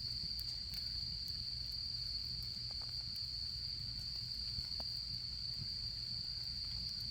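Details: Autumn insects singing beside a campfire during the autumn camping season in Japan: a steady, unbroken high-pitched trill runs throughout, with scattered soft crackles and pops from the burning fire and a low background rumble.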